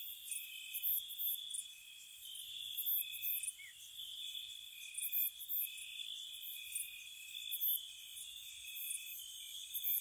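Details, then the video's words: Crickets chirping on a spring night by a cottage, a steady high-pitched trilling chorus of overlapping insects, with brief louder bursts of very high chirps recurring every second or two over a quiet background. "Spring Cottage Night Ambience, Nature Sounds for Relaxation & Sleep, Cricket Sounds"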